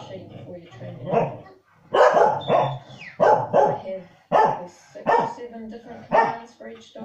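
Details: Two corgis give sharp, repeated barks and yips about once a second at a TV farming programme showing dogs moving stock, with faint television voices behind.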